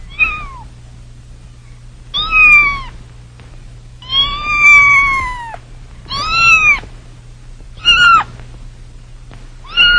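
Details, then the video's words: Kittens meowing: six high, drawn-out mews, each arching then falling in pitch, repeated roughly every two seconds against a quiet background with a faint low hum. "sounds of kittens"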